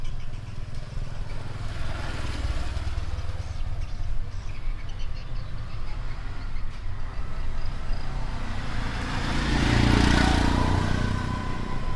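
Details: Steady rumbling engine and traffic noise outdoors, swelling as a vehicle passes near the end, with no animal voices.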